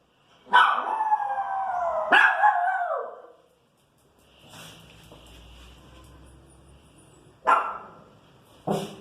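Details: Irritated female Pinscher reacting to noise in the street, giving two long harsh whining barks that slide downward, then a pause with faint background hum, then two sharp short barks near the end.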